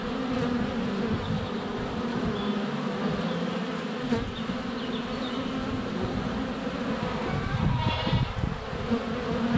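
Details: Swarm of honey bees flying around the hive entrance during sunny February weather, GoPro less than a foot away; continuous thick buzzing with overlapping wingbeat tones, a short bird chirp near the end.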